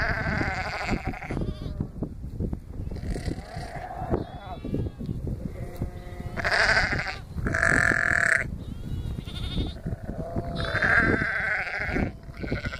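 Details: Young lambs spending their first day alongside an Akbash guardian dog bleat in loud, quavering bursts spread across the stretch, mixed with human voices and scuffling farmyard noise.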